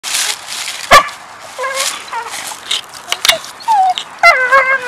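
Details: A dog coming out to play and, as stated, saying he loves her: a run of whining, talk-like yowls with bending, rising and falling tones, some short and sharp, alongside human speech.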